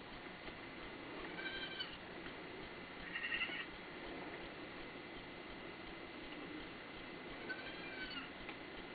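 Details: Baby goats give thin, high, squeaky bleats in a few short bursts that sound almost dolphin-like.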